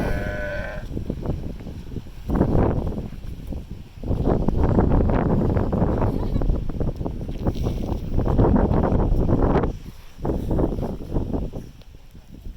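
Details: . Sea lion barking: hoarse, low, rough barks pulsing rapidly in long bouts of one to three seconds, separated by short pauses, with the loudest stretch in the middle.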